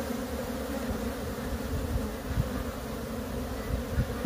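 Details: Swarm of wild honey bees from a split colony during relocation; continuous deep droning buzz of many insects, with a few soft knocks and thuds over it.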